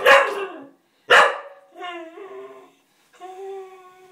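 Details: A Cocker Spaniel staring at a door spring gives two loud, abrupt barks, then long, tonal whining cries that waver and slide in pitch, begging to play with the spring after it was pinged.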